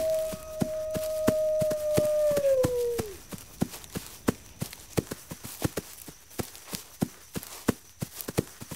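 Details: Wolf howl set for sleep and study: a steady, level howl holds for about three seconds, then slides downward and fades, with sharp, regular clicking ticks continuing throughout and after it.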